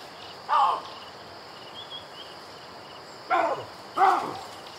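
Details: Baboon calling amid safari ambience: one harsh bark, a pause, then two more rough barks in quick succession, with faint bird twitters and a soft insect hiss behind.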